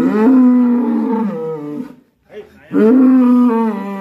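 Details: Black bull, said to be raging, in Indonesia: two loud drawn-out bellowing moos with strong harmonics, the first about two seconds long, a brief quiet gap, then a second long bellow.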